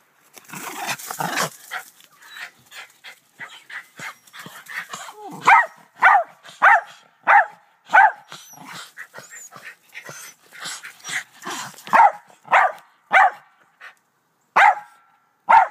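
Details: Doe, a black terrier, barking in a back yard shared with two white Rat Terriers; after a noisy, scuffling opening, sharp barks come in a steady run about every half second to second, with quieter huffs and rustling between.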